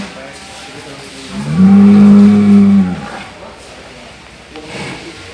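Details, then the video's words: Single cow, said to be snoring, lets out one even, buzzy low drone lasting just over a second, rising slightly at onset and cutting off abruptly, with quiet background noise around it. "SUARA SAPI NGOROK"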